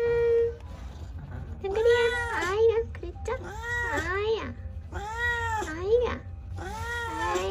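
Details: Donggeul-i, a pet cat in a home with sixteen cats and one dog, hurries out to welcome. Four loud, drawn-out meows follow each other about every one and a half seconds, each swelling then sliding down, over quiet music and a low hum.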